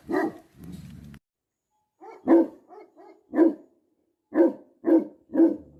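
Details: Livestock guardian Tibetan Mastiff in Nepal (Bhote Kukur) barking: two barks and a growl, a short silence, then softer huffs building into five spaced, booming barks about one per second.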